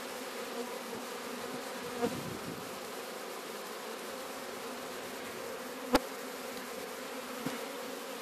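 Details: Captured swarm of Apis mellifera sicula, the Sicilian honey bee, at Sciacca: constant low humming buzz from many bees, with a soft tap near two seconds and a sharp click near six seconds.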